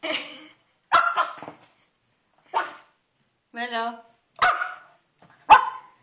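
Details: Young Pomeranian, five months old, attacking a carpet in a sudden frenzy, letting out short sharp yaps between a person's puzzled questions.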